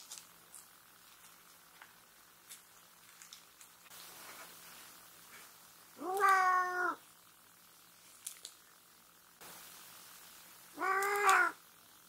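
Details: Short-legged Munchkin cat indoors, angry during nail clipping while wearing a cat mask that stops it biting; two drawn-out, harmonic, whining meows of almost a second each, about five seconds apart, with faint clicks and rustling between.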